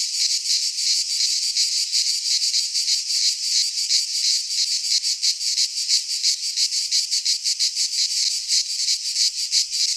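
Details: Many cicadas in a Greek pine forest in midsummer, their song forming a steady, piercing, rasping wall of sound with fast rhythmic pulsing near three beats per second and nothing else audible.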